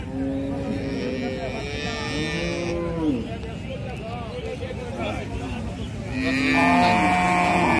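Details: Cow giving several long, low moos: one at the opening, another around 2 seconds, and a louder, sustained moo from about 6 seconds to the end, with faint higher tonal sounds in the background.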